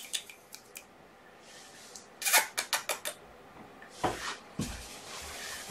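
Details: Indoor room with quiet human speech, sharp clicking and snipping sounds like scissors or small objects, and brief rustling; no animal voices heard.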